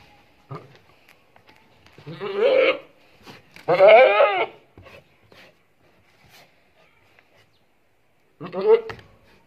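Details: Hybrid Boer goat bleating on a farm: three quavering, tremulous bleats, the middle one the longest and strongest, separated by quiet gaps with faint clicks.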